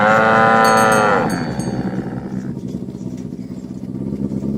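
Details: Cattle being herded through a village in the morning toward the pen; a strong moo opens, fading into steady engine-like rumble and faint bell tones.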